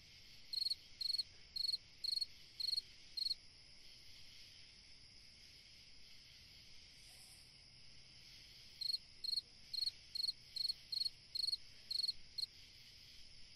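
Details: A cricket chirps through a summer night in two bouts of quick pulsed chirps, about two per second, separated by a silent gap of several seconds, above a continuous high insect hum.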